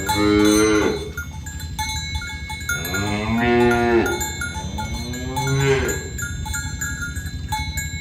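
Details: Village cows herded in the morning along a rural road to their pen; three drawn-out, harmonic moos, each about a second long, spaced a couple of seconds apart, over steady ringing cowbells and hoof shuffling.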